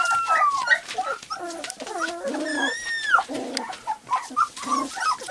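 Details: Three-week-old white golden retriever puppies of English cream type, playing and trying out barks, give long, wavering high whines, then a string of short squeaky yips from several pups at once.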